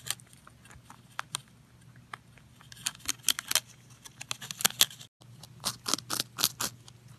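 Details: Rabbit Pontan munching: scattered soft crunches at first, building to loud, rapid crackling bites in the second half, with a brief silent break.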